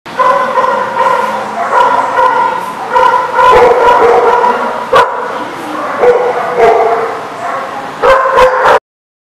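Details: Dogs barking at a dog facility recorded on 5/17/19, loud overlapping barks and yips in rapid bursts, nearly continuous through the recording, with a final cluster of sharp barks near the end.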